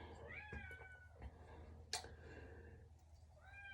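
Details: Pet domestic cat meowing at a door indoors: a few soft, rising-then-falling mewing calls, one near the start and another at the end, over a low room hum with a sharp knock in between.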